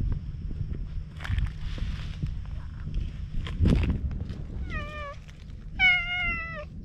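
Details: Wary stray cat on a seaside road in Japan, filmed with a GoPro: two short falling meows, the second stronger, follow handling noises and rustling, over low outdoor rumble.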